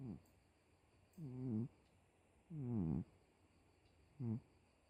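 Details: Miiko, a domestic cat, snoring: three drawn-out nasal snores with wavering, buzzy harmonics, the middle one longest and sliding downward, separated by quiet pauses over a soft background hiss.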